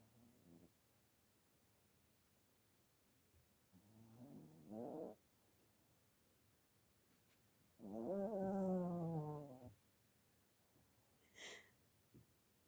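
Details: Sleeping dog snoring: a short rasping, tonal breath around four seconds, then a longer two-second snore near eight seconds with a falling pitch. Quiet pauses between the breaths, and a faint click near the end.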